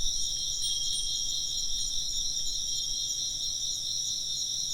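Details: Chirping insects in a Japanese ambient recording: a dense, steady chorus of high, shimmering trills in stacked bands, with a soft pulsing texture. It holds an even level throughout, with a low hum underneath.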